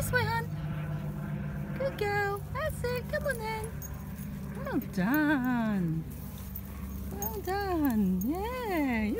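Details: Female Jack Russell Terrier in a car, giving long wavering whines that rise and fall in pitch, several drawn-out and sliding, with short yelps between; a woman talks over steady low engine hum.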